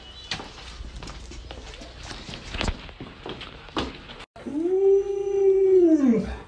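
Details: Luoluo, a pet Alaskan Malamute, gives a drawn-out arched howl that rises, holds steady and falls over about two seconds. It follows several seconds of a person talking and scattered clicks and knocks.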